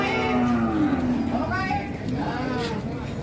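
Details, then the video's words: Huge Pegon cattle at a busy Indonesian cattle market; a long, slowly falling low moo opens the clip, then fades under the chatter of traders and light music. "SAPI PEGON RAKSASA BIKIN HEBOH PASAR SAPI"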